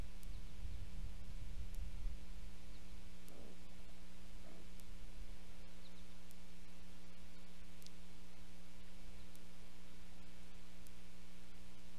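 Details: Steady electrical hum with faint low rumbling and occasional clicks, with no animal voice heard.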